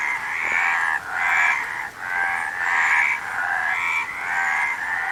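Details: Several frogs calling together, rasping pulsed croaks merging into swells roughly every second, brief quiet breaks between bursts, nothing else clearly audible.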